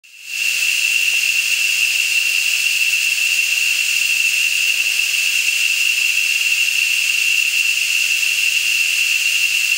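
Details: A rainforest insect chorus, heard on the drive to Las Nubes near Matapalo, Costa Rica, loud enough to sound like a raging river: a steady, shrill, whistling drone with a fainter hiss above it.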